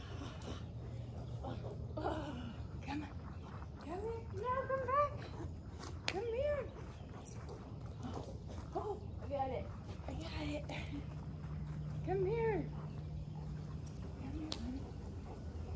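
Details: Kaiser, a giant German Shepherd, during play: a series of high, arching whines that rise and fall in pitch, clustered around the fourth to sixth seconds and again near the twelfth, with a person talking and a low hum beneath.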